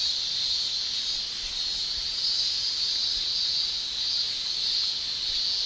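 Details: Summer in Japan, with male cicadas giving their tymbal song, a continuous shrill high drone with gentle waves in intensity and a faint low rumble beneath.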